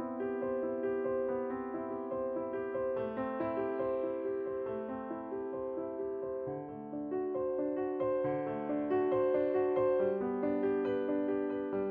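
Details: Soft electric piano music plays throughout, with a repeating melody over sustained chords. No animal voice can be heard anywhere in the passage.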